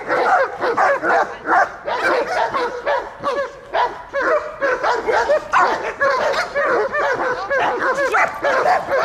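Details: German Shepherd barking during guard and protection training in Dyukovsky Park, Odesa, on 9 July 2022, after an attack command; rapid, loud, harsh barks repeated about twice a second with little pause.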